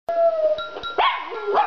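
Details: Dog said to be singing the blues: a sustained steady tone opens, then a wavering howl that dips and rises in pitch, loud and close.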